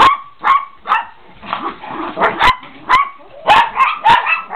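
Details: Several excited Chihuahuas yapping in high-pitched, irregular barks, bursts coming roughly twice a second with short whiny yelps between, some barks overlapping.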